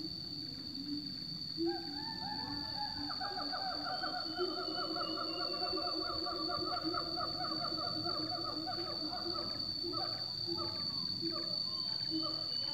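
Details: Siamangs give loud, repeated whooping notes in tropical forest over a steady, high-pitched insect drone.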